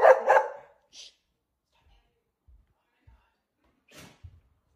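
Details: A pet dog, demanding food in the morning, lets out one short harsh yelping bark, then a faint soft sound about a second later. Near silence follows, with a few quiet low thumps and a brief rustle.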